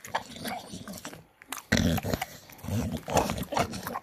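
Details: A Staffordshire Bull Terrier gives pig-like snorting grunts and low rumbles while eating, with bursts of loud chewing and slurping. A brief pause comes near the middle before the noisy feeding sounds start again.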